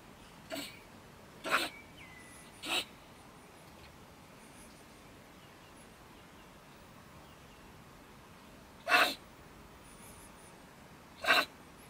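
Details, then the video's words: Stone marten female, nesting in stacked wood by a German shed, ranting after dark at about 10 pm; five sharp explosive hissing bursts spread over twelve seconds with long quiet gaps and faint whistles. "Our Ranting Neighbour Mrs. Stone Marten - Frau Steinmarder flippt aus"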